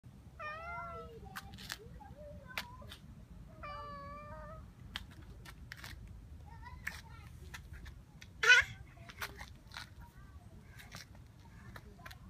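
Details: Domestic cat giving two drawn-out, wavering meows in the first five seconds, then a few short fainter mews among scattered clicks and taps, over a low steady background hum.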